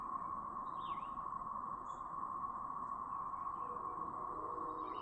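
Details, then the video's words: Cicadas from a brood in Chapin, South Carolina, May 7, 2024: a continuous, even siren hum fills the whole stretch, broken only by a single swooping bird note and a few faint chirps. "The "Siren" Sound Effect From A Brood of Cicadas!"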